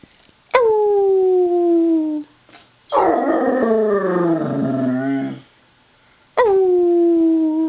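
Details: A Basset Hound says hi with her 'Wookie chuckle': drawn-out, falling howls in greeting, with a rougher, warbling grumble between them.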